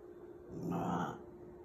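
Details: Puppy named Snowball reacting to a dog pictured on a dog food bag, making a short grunting, groaning vocal sound that swells and fades over about half a second, low and throaty with faint harmonics, indoors with a steady background hum.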